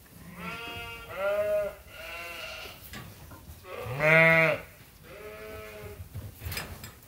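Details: Flock of farm sheep and lambs at Ewetopia Farms, calling as they wait to be fed; repeated quavering bleats, the loudest midway, with others softer before and after.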